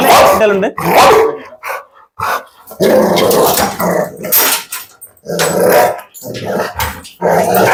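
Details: Pit Bull dog during a dog challenge, giving loud, harsh repeated barks and rough growls in quick bursts, with a man speaking Malayalam sternly over and between the outbursts.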